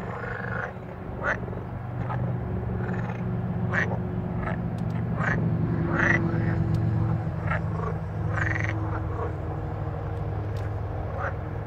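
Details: Several green frogs croak in short, rasping bursts over a steady low rumble, recorded in Verona province, Italy, on 13 May 2017.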